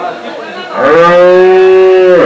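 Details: A single loud, sustained moo from a desi cow at the Saturday Chakan cow market, 3 January 2026, holding a flat, rich harmonic tone for over a second before tapering off; men discussing price and age around it.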